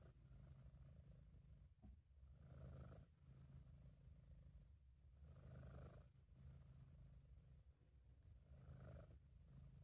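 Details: Sabu the British Shorthair purring in contentment, amateur recording: a low, throbbing drone that keeps going through about four breath cycles, each swell lasting around two to three seconds, with soft clicks at the breath changes.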